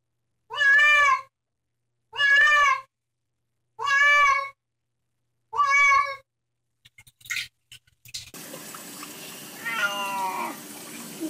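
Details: Cat objecting to bath time repeats four evenly spaced, loud wailing meows about every two seconds, then clattering and running water with a final bending meow under the splashing.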